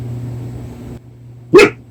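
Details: A Korean Jindo gives a single sharp, startled bark after a stretch of quiet room hum, while being whispered to indoors.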